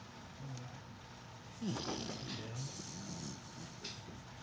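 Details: Sleeping puppy snoring softly: low, rumbling breaths, with a brief squeaky sweep near the middle, over a steady background hiss.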